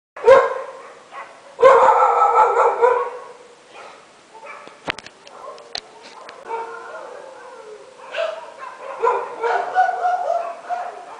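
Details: Several dogs barking at midnight, heard as loud, harsh bursts of overlapping barks with quieter yips and whines between, some barks distant, irregularly spaced.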